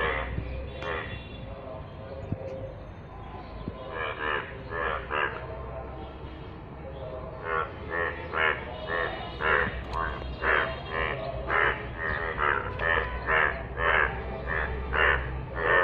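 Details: Yellow frogs in rainwater: a quieter opening with scattered croaks swells into a fast chorus of reedy, pulsing calls, about two per second, over low rumbling noise.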